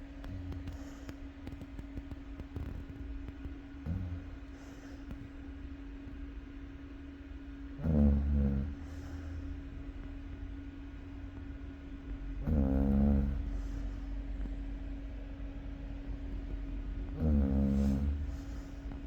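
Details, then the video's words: Chow Chow dog snoring, with low, buzzy harmonic snores about a second long returning roughly every four to five seconds, the last three loudest, over a steady low hum. "snoring of chow chow dog"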